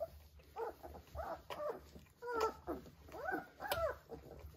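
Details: Vizsla puppies three weeks old with their mother, a quick series of about six arching, whiny yelps, each rising then falling, spaced under a second apart in a small indoor space.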